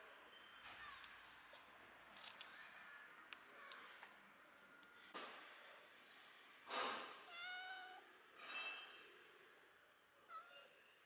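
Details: Rescued stray kitten, abandoned and freezing for two days in -11°C snow, lets out two or three thin, quavering meows after a stretch of quiet rustling and shuffling in a room.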